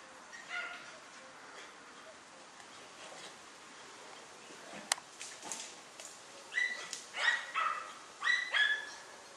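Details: German Hunting Terrier Dunja confronting a wild boar: after a quiet stretch of faint rustling, a run of five sharp, high yelping barks comes in quick succession near the end, with a single loud click midway.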